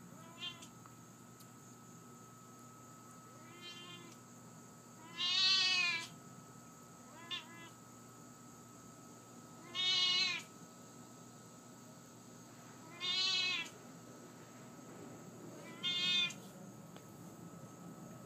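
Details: Siamese cat Lily keeps up her chatty meowing indoors: several long, strained meows spaced two to three seconds apart, with a few shorter chirp-like ones between, as a woman's voice praises her as cute.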